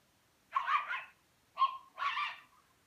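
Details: A Rhodesian Ridgeback puppy plays with a Pekingese, making three rough, noisy, drawn-out barks with a growly edge.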